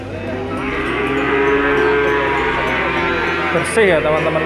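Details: Feeder cattle of the Peranakan Ongole breed held for sale; one long, even, tonal moo sustained for about a second, then a shorter bending call near the end, with music playing underneath.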